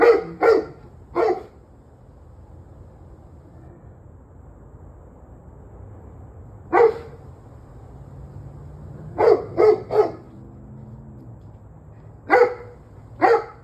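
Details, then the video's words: Domestic dog barking on the evening of 21 November 2023, 7:06 pm: scattered short, sharp barks in clusters of one to three, separated by quiet gaps of several seconds, with a low background hum. "26 Minutes of Barking Dogs"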